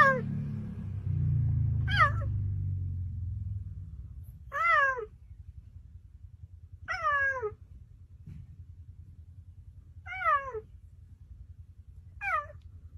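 A cheetah gives high, mewing chirps that arch and fall, repeated every two to three seconds.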